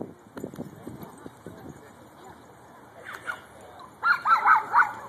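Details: Ten-month-old Shiba Inu playing with another dog at a dog park in Fullerton; a quick run of four sharp barks closes the clip after distant voices and park chatter.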